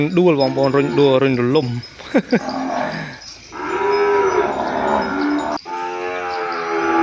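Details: A separated calf calls out for its mother in the cattle shed. A wavering, tremulous moo comes first, followed by brief sharp bleats, then two drawn-out, smooth lowing cries.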